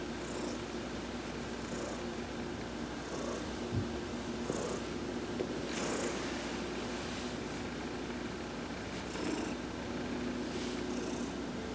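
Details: Adopted house cat Heidi purrs through a massage while sunbathing, November 19, 2020. A continuous low, throbbing rumble holds for the whole stretch, broken by several short, faint high squeaky tones.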